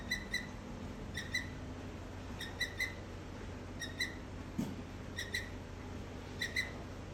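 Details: On a rainy day, a squirrel gives sharp, high chirps in quick pairs, repeating every second or so over a soft steady hiss.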